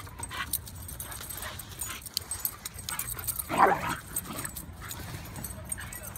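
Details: Basenji (Canis familiaris), yelps.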